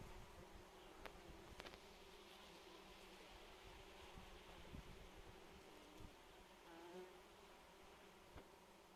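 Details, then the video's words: June phacelia field being pollinated by bees among other insects: a dense, wavering low hum of several overlapping buzzes, with brief clicks and a passing insect tone rising near the end. "Facelia w czerwcu - zapylanie przez pszczoły oraz inne owady zapylające."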